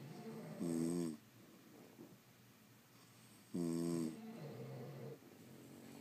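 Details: Sleeping French Bulldogs indoors give two loud buzzy snores about three seconds apart, each a short rasping harmonic burst, followed by softer breathy exhales in a quiet room.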